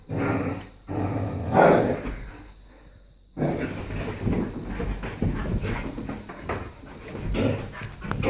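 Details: Female greyhound lying on a couch indoors growls at a babysat black Labrador puppy antagonizing her, telling him to get lost; rough low rumbling bursts with a quiet pause midway, then scuffling and rustling.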